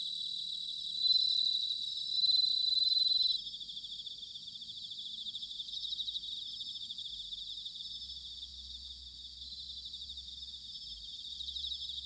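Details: Autumn bell crickets at Sanuki in Chiba, Japan: a loud ringing high note for the first few seconds over a bed of rapid pulsed trills, then a steadier insect chorus with faint low rumble.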